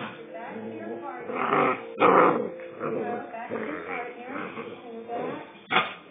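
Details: A 2-month-old Rottweiler pup getting aggressive: low rough growls and grumbles mixed with a person talking over it, with a few sharper bursts standing out.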